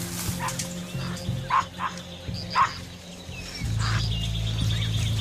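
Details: Capuchin monkeys give sharp, barking alarm calls in short irregular bursts over low background music, warning of a nearby puma as a mother deer and fawn drinking 200 m away retreat to cover; capuchins mob cats they spot.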